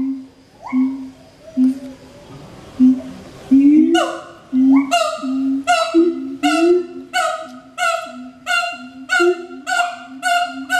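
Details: A captive pair of siamangs at Schmutzer Primate Center, Jakarta, Indonesia, on 20 April 2012 at 11:32 AM, duet with low booming notes, then loud ringing barks repeated in a steady, accelerating rhythm.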